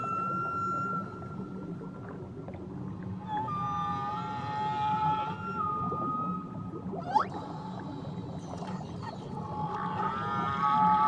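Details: Whale calls recorded around Tahiti: long, tonal calls hold steady and bend, with a sharp rising sweep midway.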